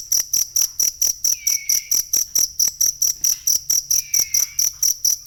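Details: Cricket recorded as masteran material for songbirds, giving crisp, very high chirps in a steady rhythm slightly above two per second, joined by a pair of fainter, lower falling whistles.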